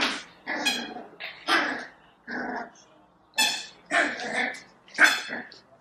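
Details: Female Cavalier King Charles Spaniel puppy on her first day in a new home, giving about seven short, high, harmonic yelps and whiny barks in six seconds, irregularly spaced, with human voices close by.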